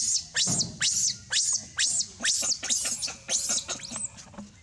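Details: Monkey screams as Libby drags Baby Rainbow away from the hands of other monkeys: loud, shrill, very high-pitched cries in a rapid run, about two each second, each sweeping downward, over a faint low rumble.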